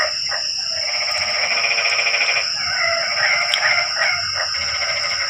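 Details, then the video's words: Nighttime frog chorus during rain. A long buzzing, pulsed croak is followed by choppier overlapping calls. A thin, constant high-pitched tone persists in the background. "Suara kodok hujan meramaikan suasana sepi malam ini"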